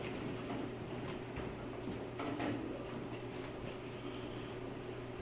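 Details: Faint indoor room noise with a low hum and soft clicks and knocks, and no animal sound.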